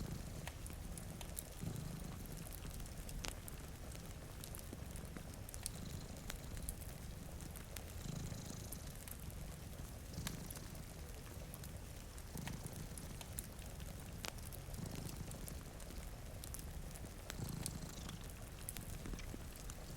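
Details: Cats napping by a window on a rainy day; a low, soothing purr pulses on and off in regular breathing cycles beneath bright crackles of a wood fire and quiet rain patter.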